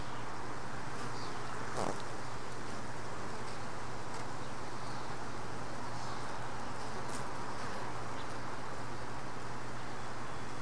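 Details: Honey bee worker at a hive box, bringing in a mite it tried and failed to dislodge; steady low droning hum throughout, one brief louder buzz passing near two seconds, faint high chirps in the background.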